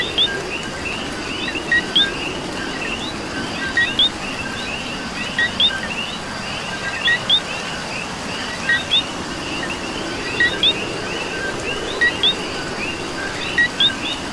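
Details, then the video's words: In Puerto Rican rain, a nearby coqui repeats its two-part call, a low note then an upswept high note, every two seconds or so, while a distant chorus of more coquis and constant rainfall fill the background. "Coqui and Rain"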